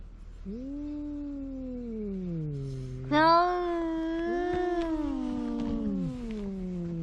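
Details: Cat making a big noise: long, wavering, drawn-out yowls with a low moaning pitch that bends down and up, the second yowl starting with a loud harsh burst before sliding lower again.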